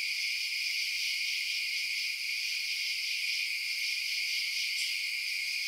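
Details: Chirping crickets at night fill the air with a continuous shrill chorus in stacked high bands, steady level, plus a faint brief tick near the end.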